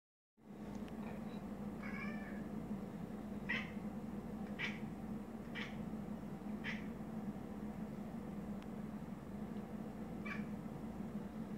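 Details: Domestic cat chittering while watching a moth indoors: soft, brief clicking chirps sound roughly once a second in short bursts over a steady low room hum, with long quiet gaps.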